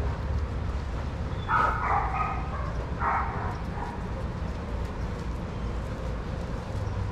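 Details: Shelter dogs at play in daycare: a few quick, harmonic barks in a cluster around the middle, then quiet, all over a constant deep rumble of background noise.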